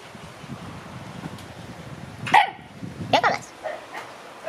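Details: Shiba Inu puppies in their puppy room on June 22, a little frightened by the noise of an air conditioner being installed. Two sharp, high yelping barks come close together mid-clip, then a softer yip, over a low indoor rumble.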